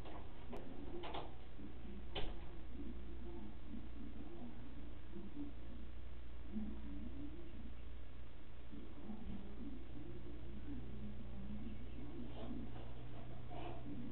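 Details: A female Basset Hound grumbles and mutters in low, wavering moans that rise and fall like talking.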